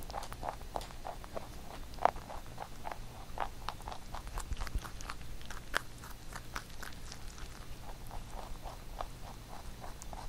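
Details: Domestic pet rabbit nibbling a carrot songpyeon made for Chuseok, quiet rapid chewing clicks about three to four per second throughout, one sharp crunch near the start, in a small indoor room.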